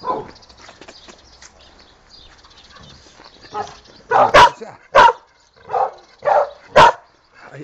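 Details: Pantera, a female dog called Tera and chica, barking: after a stretch of faint sounds, six loud, short, mid-pitched barks arrive in quick succession over the final three seconds, with a Spanish-speaking voice asking what is happening.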